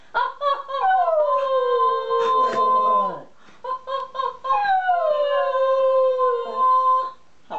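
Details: Schnauzer singing along with its owner indoors: two long sliding howls that start high and glide downward into sustained wavering tones, separated by short choppy yips and a woman's voice.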